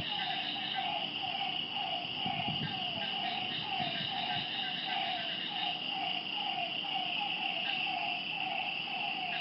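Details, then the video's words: Frogs calling at night beside a lake: short croaking notes repeated steadily about twice a second, over a constant high insect-like trill and a few low rumbles. "Lakeside night creatures and frog sounds"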